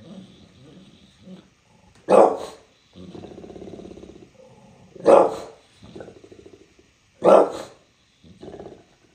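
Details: Bulldog in New York City giving three loud, separate barks spaced a few seconds apart, with rumbling, grumbly vocalizing in the gaps.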